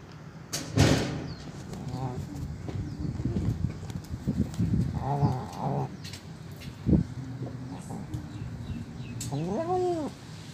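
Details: Old stray cat, very hungry, begging at a doorstep for food: a clear arched meow near the end follows soft earlier mews, mixed with human speech, knocks and a sharp clatter over a low hum.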